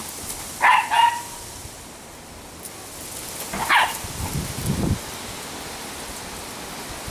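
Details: Three fast female Italian Greyhounds, Shimmer, Sparkle and Speckle, in fall: a quick double bark, a pause, then another bark, followed by low thudding rumbles, all over a constant noisy outdoor background.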